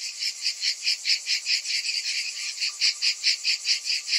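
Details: Summer cicadas droning, sharp high pulses at roughly two per second with a faint thin steady whine underneath.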